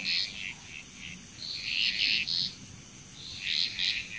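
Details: Chorusing frogs in Bali, Indonesia, softer here, giving scattered rasping croaks in short clusters with brief pauses, while a continuous shrill insect hum runs underneath.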